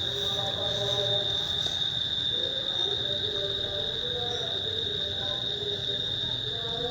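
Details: Cricket giving a steady, continuous high-pitched trill throughout, with people talking in the background.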